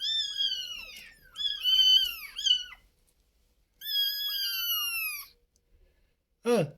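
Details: Indoor storeroom cats, with a mother cat that has moved her litter upstairs: a run of loud, high, wavering mews, then a longer steady drawn-out cry with a falling end, and a short sharp squeak to close.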